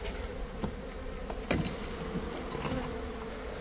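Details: Honey bees of a large colony inside a building wall, uncovered during a live bee removal in Buena Park, California; continuous droning hum with a thin steady tone, broken by sharp clicks and a loud scrape midway.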